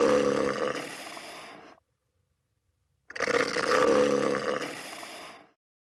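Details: A walrus lets out two loud, gravelly roars, each about two seconds long with a strong harmonic, throaty tone, separated by a short silence.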